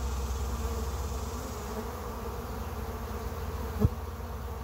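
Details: Honey bees on day 1 of a trap-out give a steady, low droning hum of many wings buzzing together.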